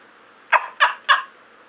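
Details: Rufus, a shy rescued chiweenie of about 8 lbs and 4 years, gives three quick, sharp, slightly hoarse barks, evenly spaced about a third of a second apart, against a quiet background; shown as his turkey-like bark.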